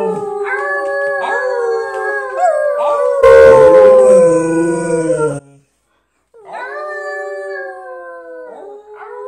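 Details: Husky howling together with people in a playful howl-off: long wavering, sliding howls layered with human voices howling along, a brief loud burst near the middle, then a pause before another drawn-out descending howl.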